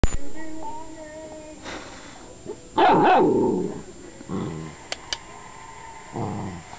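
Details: Female Newfoundland puppy, 7 1/2 weeks old, fooling around during training: a single loud bark-like burst near the middle, with a few softer sounds, a woman's voice and brief clicks.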